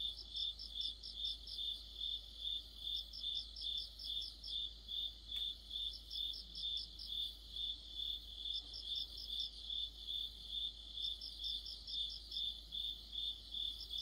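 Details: Crickets and fellow insects singing together in deep autumn. A continuous high-pitched pulsed trill repeats roughly every 0.4 seconds, while a second caller adds intermittent runs of rapid, sharper ticks above it.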